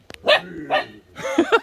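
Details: Pet dog Rowoon, frightened on meeting a toy tiger doll, gives three short, sharp harmonic barks about half a second apart, the last breaking into quick yips.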